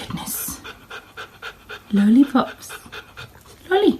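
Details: A playful dog pants quickly: a steady train of short, breathy puffs roughly four per second, with a few higher whiny voiced sounds and a human voice mixed in.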